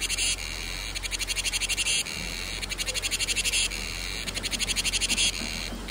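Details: Summer cicada: bright rattling pulse trains starting, stopping and restarting roughly every one to two seconds, each burst a rapid series of clicks fused into a buzz.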